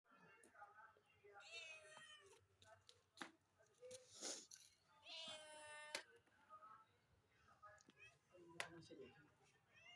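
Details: Domestic cats indoors, ready to eat meat, give drawn-out, high, harmonic-rich meows around two and five seconds in, with a few shorter mews between. Human speech and clattering are heard alongside.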